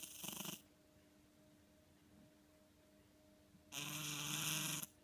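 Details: House cat named Ten-chan asleep and snoring: the tail of one rasping snore, then three seconds of quiet room hum before another full, breathy, buzzing snore.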